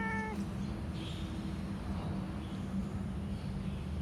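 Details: A cat gives one short, clear meow right at the start, slightly falling in pitch, followed by a faint lower drawn-out tone, over a steady low rumbling background hum.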